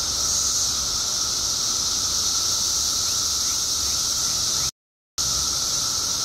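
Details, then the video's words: Steady high-pitched wall of sound from billions of periodical cicadas emerging after 17 years underground in Illinois, broken by a half-second gap of silence near the end before the drone resumes. "Billions of Periodical Cicadas Emerge After 17 Years Underground Cicadas Making Noise Illinois State"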